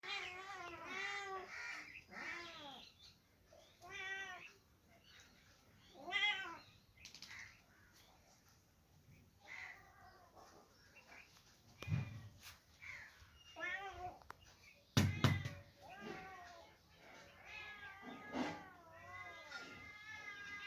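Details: Two kittens meowing indoors, a rapid string of short, arched, tonal meows, some rising then falling, with brief pauses and a few dull thumps around the middle.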